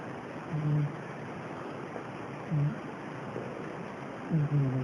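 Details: Domestic cat, one of a household's cats, asleep and snoring: short, low, buzzy snores come three times, roughly every two seconds, over a steady broad hiss.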